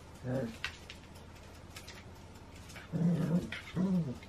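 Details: Pair of Shetland Sheepdogs at play, 28 January 2016: three short, low, harmonic growls, one near the start and two close together near the end, with quiet scuffling between them.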